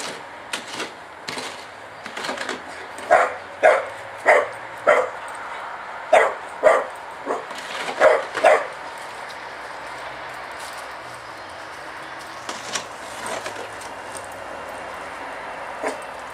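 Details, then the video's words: Brody, a Staffordshire Bull Terrier with a fear of a spade, barks in a series of sharp, mid-pitched woofs about every half second, then falls quieter with a few scattered yips and soft sounds. "Staffordshire Bull Terrier:-Brody has "spade phobia""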